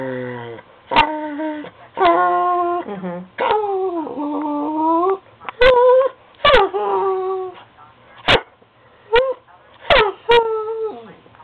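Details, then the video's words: Female Bichon Frise kept as a pet, singing to beg for dog cookies: a string of long tonal whines that waver, rise and fall in pitch, broken by short pauses and a few sharp clicks. "The Singing Bichon"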